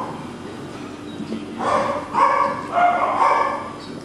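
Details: Male Cockapoo puppies, four brothers named Kujo, Louie, Oliver and Bo, recorded 18 April 2014, giving three short harmonic yips in quick succession after a quiet start, over low room hiss.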